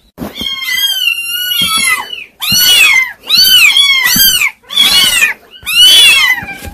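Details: Several kittens mewing loudly in high, harmonic-rich bursts, about five calls with short gaps between them, some cries overlapping as the voices compete.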